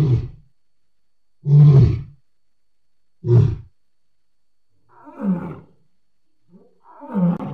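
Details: Deep lion grunts from July 2016, three hard low bursts spaced about two seconds apart, followed by two softer, rougher huffs.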